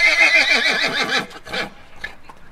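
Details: A domestic horse (Equus caballus) neighs, giving a high, quavering whinny that wavers rapidly in pitch before ending in a breathy snort.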